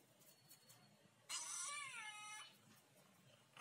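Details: Talking ginger cat lets out one clear, drawn-out meow of just over a second, rising and then bending down in a smooth arch over a quiet background.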